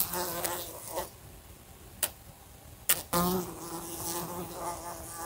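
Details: Indoor fly near a lamp, repeatedly striking it. A low buzzing hum runs throughout, interrupted by a few distinct clicks and knocks of the insect hitting the lamp, then a stronger, steadier buzz resumes.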